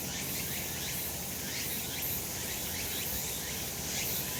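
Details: On a summer mountain in the sun, a chorus of cicadas keeps up an unbroken high shrill drone, with repeated rising pulsed strokes layered on top and a low background hum.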